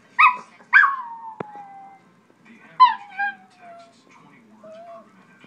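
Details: A Chihuahua reacting to his favourite commercial on television: two sharp yelps trailing into falling whines, then a further yelp-whine and a soft short whimper, with quiet background sound from the set.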